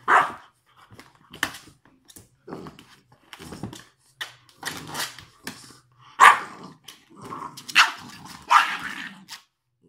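An English bulldog gives short, irregular barks and rough grunting sounds, with a human voice now and then.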